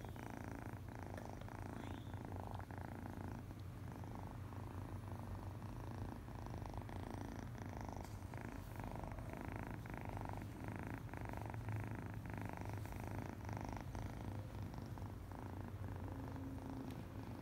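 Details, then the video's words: A one-eyed male foster kitten purring happily while being petted indoors; a steady, low continuous rumble runs throughout with soft rhythmic pulses, close to the microphone, with faint rustling of handling. "Little one-eyed foster kitten purring happily"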